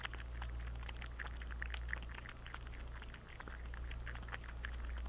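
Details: Thirsty house cat lapping water, giving a rapid run of soft, splashy tongue clicks, dense and slightly irregular, with a constant low mains hum beneath in a small room.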